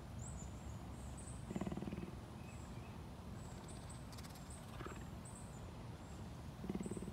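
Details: Captive cougar at a big cat sanctuary in Tampa, Florida, USA, purring in short pulsed low rumbling bursts, two clear bursts several seconds apart, with soft bird chirps in the background.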